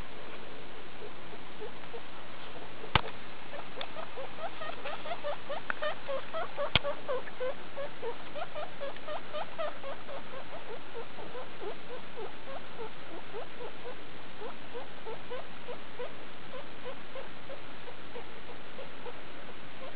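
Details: Guinea pigs of the skinny breed, mother Daisy with babies born 2 August 2012, at CHS Luna on 19 August 2012; dense patter of small repeated squeaks, two sharp clicks early on, faint background hiss.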